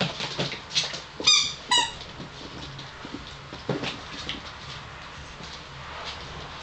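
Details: Five-week-old Gordon Setter puppies from the litter of Niki and Junior: two quick, high, squeaky yelps with ringing overtones early on, followed by soft scratching, shuffling and bumping noises in a small room.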